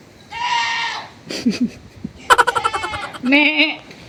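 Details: Goat giving two bleats, a flat, nasal one and then a shorter quavering one, with a person's speech and clicks between them.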